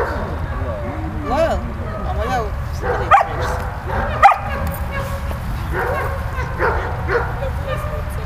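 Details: Malta the dog playing with Bulat: short harmonic yips and whiny rising-falling notes scattered through, with two sharper barks near the middle, over a steady low rumble of background noise.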